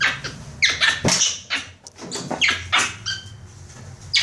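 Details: Pet capuchin monkey play fighting with a toy monkey indoors, giving a burst of high, squeaky chattering and shrill calls, irregular and overlapping, with soft thumps and rustling of play.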